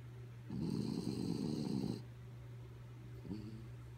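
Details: Kaya Boo, a sleepy dog, snoring: one long rasping, fluttery snore of about a second and a half, followed by a fainter short snort, over a steady low electrical hum.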